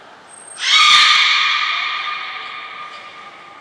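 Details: Beluga training with Gray and Mirai at Port of Nagoya Public Aquarium on 15 June 2022: a brief thin high whistle, then one strong nasal, buzzy squeal with stacked harmonics, loud at onset and slowly fading over about two seconds.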